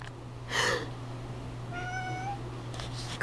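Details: Domestic cat chattering indoors after its owner sneezed: a sharp sneeze-like burst, then a single clear, tonal, slightly rising chirp lasting under a second, with steady low electrical hum throughout.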